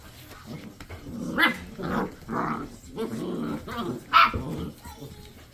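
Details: Seven-week-old Basset Hound puppies give short bursts of squeaky yelps and low growly grumbles at uneven intervals, with one sharp high yip near the end, over faint room noise.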